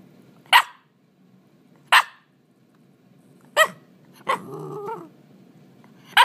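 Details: Eight-month-old Shiba Inu filmed indoors, giving short sharp barks spaced about one to two seconds apart, with one drawn-out wavering vocal sound between them and a quiet room background.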